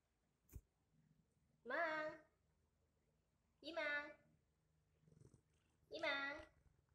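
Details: Domestic cat indoors on a hot summer night, with the household's cats gathered together in the heat: three harmonic, slightly falling meows about two seconds apart, each roughly half a second long, with a sharp click before the first and quiet room sounds between.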